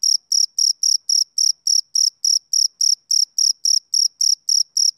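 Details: Steady high chirps from a male cricket on a summer evening, short ringing pulses repeated about three to four times each second in an even beat, heard clean against silence.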